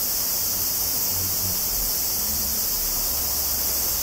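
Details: Tanna japonensis (higurashi) cicadas recorded near Kobe, Japan, 14 August 2011, on a Zoom recorder: an unbroken, loud, high-pitched hissing drone of many insects, with faint low rumbles beneath.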